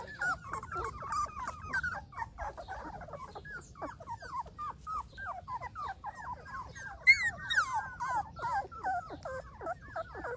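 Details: A litter of Golden Retriever puppies whimpering, fast overlapping high squeaks and short whines throughout, one sharper yelp standing out past the midpoint.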